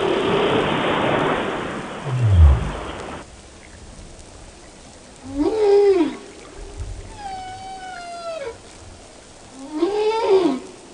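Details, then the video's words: Whale song: after a rushing burst and a deep thud, three drawn-out moaning calls, two arching upward then falling, one a long gently descending tone with faint harmonics. "The Song Of The Whale"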